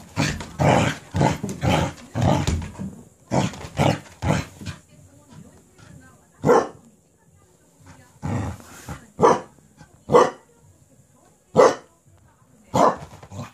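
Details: Cardigan Welsh Corgi indoors, going wild with excitement after being handed a cabbage core: a quick run of sharp, harsh barks in the first three seconds, then single loud barks spaced about a second apart, with quiet gaps between.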